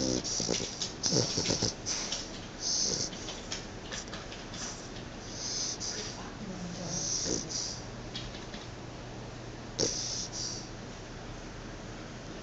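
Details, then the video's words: Chow Chow snoring in its sleep, a run of short hissing, snorting breaths repeated every second or two, with a faint low hum underneath. "Snoring chow chow"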